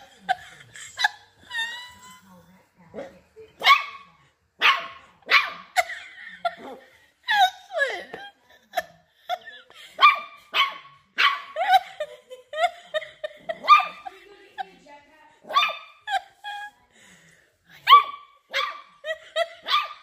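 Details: Dachshunds, playful wiener dogs, giving a fast run of sharp, high yapping barks with short gaps, several in quick succession across the whole stretch, with faint human voices in the background.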